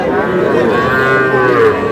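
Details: Small bull calves at a cattle market in Kushtia, Bangladesh: a steady, sustained harmonic lowing moo lasting nearly two seconds, with market chatter and voices underneath.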